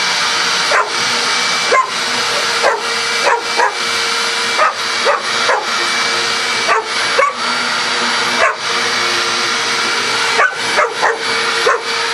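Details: Vacuum cleaner running nonstop while pet dog Coco barks at it incessantly; short barks come every second or so in uneven groups, partly masked by the motor's loud broadband hiss.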